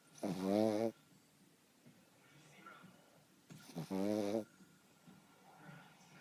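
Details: Sleeping pug snoring loudly during a little nap: two long, rattling, pulsed snores about three seconds apart, each lasting under a second, with quiet breathing in between.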